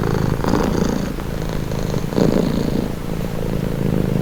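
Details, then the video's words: Close purring of a pet cat, meant as a relaxing sound; deep buzzing rumble rising and falling in slow breaths, a louder swell near the middle, otherwise quiet background. "Purring cat | Calming Relaxing Nature Sound"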